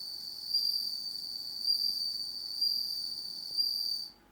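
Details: Home-reared bell cricket that sings only when it is dark: a sustained high, bell-like ringing trill with strong overtones, pulsing in four loudness swells about a second apart before it stops.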